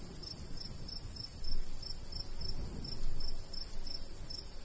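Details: Cricket in summertime countryside by a golden wheat field; a regular train of high chirps continues while the light breeze swells in two louder gusts.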